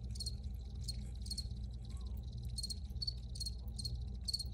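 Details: Crickets chirping in an original outdoor recording: bright, high pulsed chirps repeated about every half second in a regular rhythm, over a steady low background rumble.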